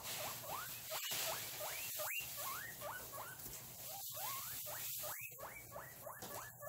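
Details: Guinea pigs during a cage clean in August 2022 wheek steadily: rapid, rising whistled squeals, about three a second, each sweeping upward. A constant background hiss and a few sharp clicks run underneath.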